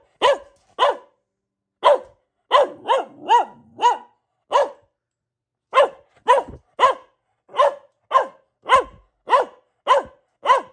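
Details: Luna, a female Boxer and family pet, barking in a long run of sharp, evenly loud woofs, roughly two per second with brief pauses, each bark rich in harmonics and slightly falling in pitch; nothing else heard.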